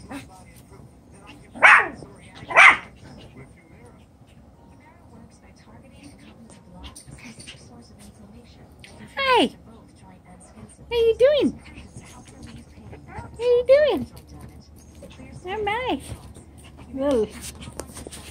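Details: Chocolate brown Toy Poodle puppies, seven weeks old, romping in their doubled pen: two sharp yaps early, then a run of high, wavering whines and squeaky yips with bending pitch, spaced a second or two apart.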